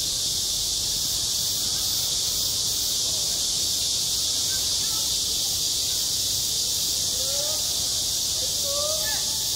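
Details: Cicada chorus in midsummer at a school playground: an even, piercing high buzz sustained from start to end, and a few faint rising tones near the close.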